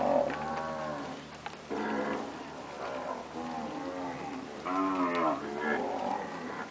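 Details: Standard purebred Nelore cows, all having calved, give repeated overlapping lows, some with a rising then falling pitch, over a constant low background hum.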